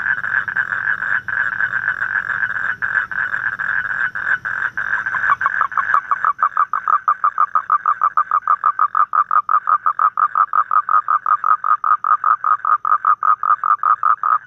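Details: Evening toad chorus in the Vietnamese countryside: a blurred continuous trill that, about halfway through, slows into clearly separated pulses repeated more than once a second, each a short throaty croak.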